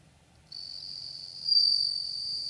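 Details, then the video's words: A bell cricket sings a clear, high, ringing tone that swells slightly and holds steady; recorded 4 August 2014. "Bell cricket 2"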